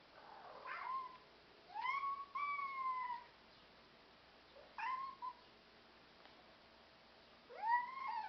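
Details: Black European Shorthair cats indoors, with repeated meows rising and falling, some drawn out over a second, in four separate bursts across eight seconds; quiet room background.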